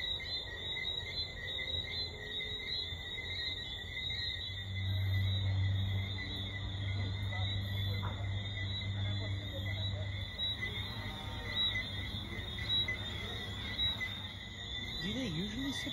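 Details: Caribbean tree frogs serenading at the Eclipse at Half Moon resort, Jamaica: continuous high-pitched layered whistling chorus, unbroken throughout, with a low droning hum beneath and brief faint voices.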